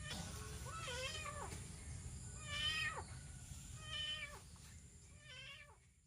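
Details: Lost kitten crying for help beside rice fields on a morning roadside walk: four drawn-out, harmonic meows with a bending pitch, spaced roughly a second apart, against a constant low hum.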